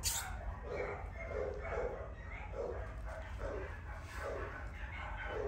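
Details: Cavapoo dog giving a quick run of short, mid-pitched yapping barks, roughly two per second and fairly even, over a constant low rumbling background.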